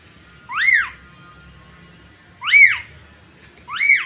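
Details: A newborn kitten mews for its mother: three high, arching cries, the first followed by a two-second pause, each sweeping up then down, over low faint background murmur.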